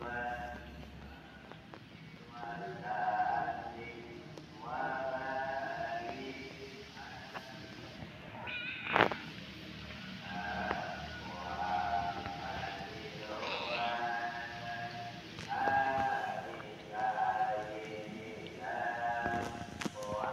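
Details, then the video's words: Kitten meowing repeatedly in a soft, whiny voice, each harmonic-rich mew lasting under a second, some rising then falling, spaced about every one to two seconds, with occasional clicks and a faint background hum. "Such a cute kitten, his voice is so spoiled"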